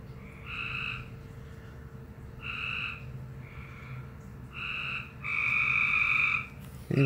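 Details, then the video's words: A frog calling oddly: short tonal notes spaced about a second apart, ending in a longer louder held note of over a second, followed by a brief knock, over low hum. "Frog making a weird noise"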